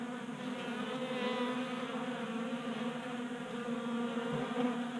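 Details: Honey bees feeding at a 3D-printed table-top feeder in a garage in Colorado in January during warm 60-degree weather; a steady, dense buzzing hum of many wings with wavering overlapping tones, continuous throughout.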